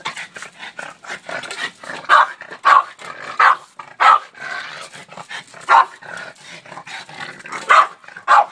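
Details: Barking Boston Terrier, Oreo, confronting a shovel as he does every day; irregular sharp barks mixed with lower growly huffs and panting-like bursts throughout.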